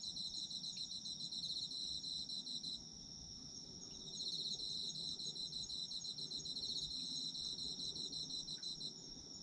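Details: Autumn insects sing in a high, steady drone, with two stretches of rapid pulsed trilling, the second starting just after four seconds, set against a muted low background noise.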